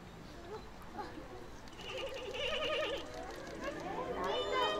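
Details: Giant panda Ri Ri bleating on 7 November 2020 around 2 pm by Shin Shin's door, restless and wanting into her room, perhaps missing her or seeking attention; wavering, quavering bleats, the last one higher, amid chattering visitors.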